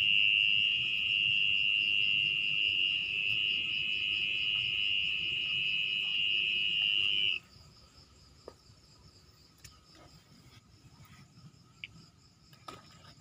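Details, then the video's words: Mole cricket calling at night from its burrow in damp, muddy ground, dug out by hand: a steady, unbroken high-pitched trill lasting about seven seconds, then stopping, leaving faint rustling and scattered clicks. "Bongkar sarang Orong-orang/Anjing tanah"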